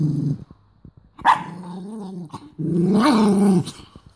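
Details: Angry mini doberman in Cyprus growling and showing teeth when offered food it refuses to touch; low rumbling growls in two long bursts, the second louder and rising slightly, with a brief sharp snap between them.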